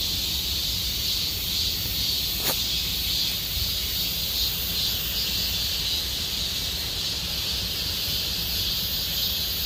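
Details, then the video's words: Summer cicada chorus in Gomsol Nuri Forest, Sihwa district: an unbroken, shrill, buzzing wall of sound with faint rhythmic pulsing, plus one sharp click a third of the way through. "곰솔누리숲의 매미소리 Cicada sound of Gomsol Nuri Forest"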